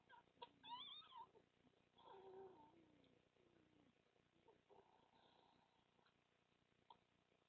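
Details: Red fox mother at a den in the Netherlands on 30 March 2014, making soft comforting sounds to suckling pups; quiet murmured calls with a few high squeals near the start and low wavering tones through the middle.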